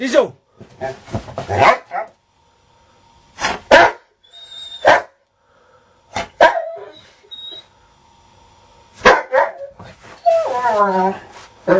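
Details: Pet dog Diesel, restless and wanting to be let out while waking its owner indoors, gives scattered short sharp barks and a drawn-out harmonic whine near the end, interleaved with a man's voice calling its name.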